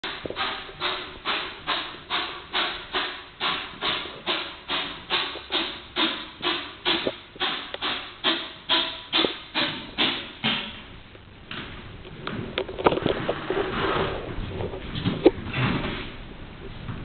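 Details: Pet cat, male, in a sneeze attack and said to be fine: a rapid run of about two dozen sharp, breathy sneezes, spaced roughly two per second for ten seconds, followed by scattered softer snuffles and rustling.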